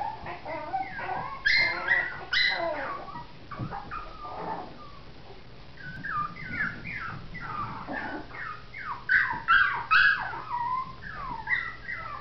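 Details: Several Biewer and Yorkshire Terrier puppies whimpering and squeaking together in a continuous, overlapping chorus of short, high, wavering cries, with a few louder yelps.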